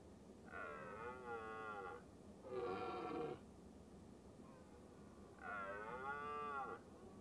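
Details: A red deer hind caring for her large calf in the rutting season, while a male herds them up a hill, gives three drawn-out, nasal, moo-like calls with a wavering pitch.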